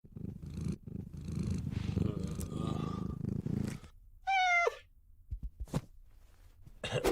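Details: Pet cat purring: a low, rumbling, pulsing purr continues steadily for about four seconds, followed by a short rising-then-falling meow and a few soft clicks and taps.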